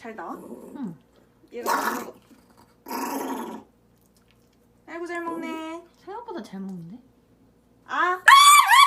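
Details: Jjongi, a small pet dog held in someone's arms, protesting with biting and barking while being given bitter medicine by syringe; short harmonic whiny yelps and squeals come in bursts, mixed with human voices in a small room.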